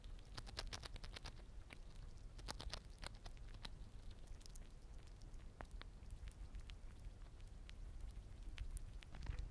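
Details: Siberian chipmunk eating small-animal egg biscuits, producing rapid, dry crunching clicks in irregular bursts throughout, with a low rumble underneath.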